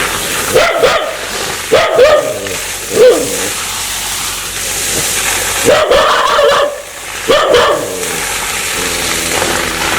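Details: Dog behaving aggressively, wanting to bite: repeated harsh barks, some doubled, spread over ten seconds, with quieter low growling in the gaps.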